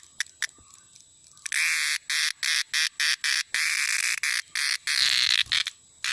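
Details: Cicada (cheeveedu in Malayalam), heard at evening or in rainy weather; after a quiet start with a few clicks, a rasping buzz pulses on and off several times a second, ending in a longer continuous drone.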